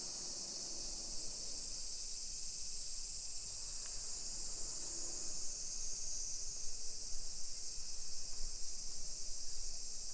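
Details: Summer cicada chorus in suburban Nagoya, Aichi, Japan, recorded at 1 PM on 2021/7/28 on a residential hillside; a constant high buzzing wash, with a low murmur of street noise swelling toward the end.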